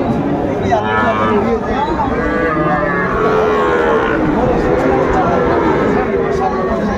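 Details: Lowing of Sahiwal calves among bull cattle for sale at a Bangladeshi market in Comilla: overlapping wavering moos, several close together, mixed with busy talk from buyers and sellers.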